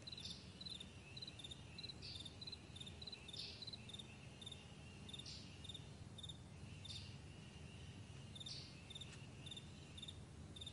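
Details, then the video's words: Morning on a broad meadow with crickets keeping up a continuous run of high, evenly spaced chirps, punctuated by louder rasping notes every couple of seconds, and a low constant rumble behind. "Morning Crickets"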